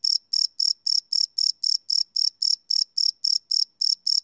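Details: Night-time cricket chirping captured live on a Sony PCM D100 field recorder, no loops: bright, shrill pulses repeat roughly four per second in a metronome-like rhythm, with nothing else audible.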